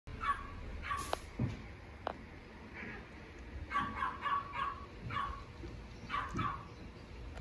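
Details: Very young female Pomeranian puppy, sleepy, gives short soft yips in scattered bursts, some doubled, with clusters near the start and toward the end over low room noise; a person speaks briefly afterward.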